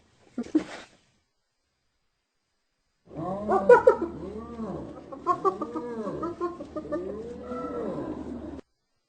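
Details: Laughing hyena: a short harsh burst, then a rolling series of arched, yelping notes in quick uneven succession over a low steady hum.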